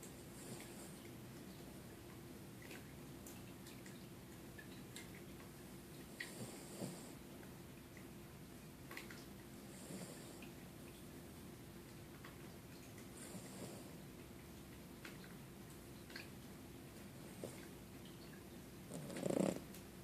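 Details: Sleeping, dreaming puppy snoring softly indoors: faint breathy rasps return roughly every three and a half seconds over a steady low room hum, with a brief louder rustle near the end.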